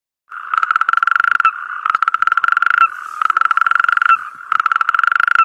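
A frog calls in fast, rattling trills, each burst lasting roughly a second with brief pauses between. The pulses are even and mid-pitched, repeating steadily with no other sounds.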